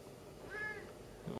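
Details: Siamese cat described as all attitude, talking indoors: a soft, brief, slightly arching meow in the middle, then a short thump at the end; low room hum underneath.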